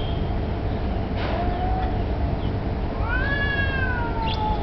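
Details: Two street cats face off, perhaps over territory or mating, one giving a brief low moan then a loud rising-and-falling yowl, with dull low-frequency noise throughout.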